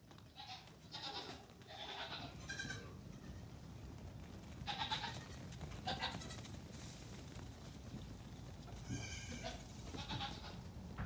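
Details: Young Nigerian Dwarf goat kids born within the past two weeks on a farm, let out while mothers eat grain; scattered shaky bleats, some brief and some drawn out, separated by gaps filled with rustling and low movement noise.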